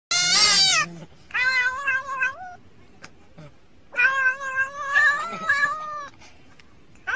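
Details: Domestic cat meowing in loud, drawn-out harmonic calls, one long bright wail followed by two rising-then-falling meows after brief pauses, indoors with little background noise.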